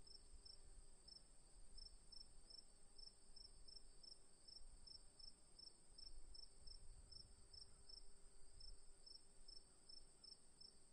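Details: Crickets trill steadily in high, rapid pulses on an afternoon, with a faint low rumble beneath.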